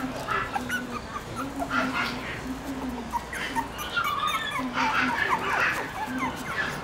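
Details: Four Shiba Inu puppies, littermates born on 24 September, on their fourth day outdoors as two begin moving about: high thin whimpers and squeaks repeated in short bursts over a steady low hum, with a person talking.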